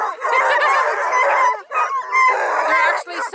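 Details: Coonhounds of Bluetick, Redbone and Black and tan breeding near Kingston, Ontario, Canada, bay in loud stretches about a second and a half long, broken by short gaps, with several voices overlapping.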